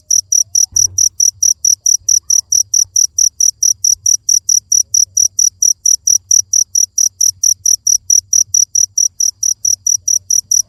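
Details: Continuous cricket call of sharp, high chirps in an even rhythm, roughly four per second, with a single faint thump early and a low background hum.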